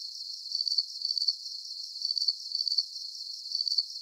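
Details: Chirping crickets offered as a calming sleep soundscape, giving bright, high-pitched pulse bursts that come about every half second, separated by softer stretches of continuous shimmering hiss.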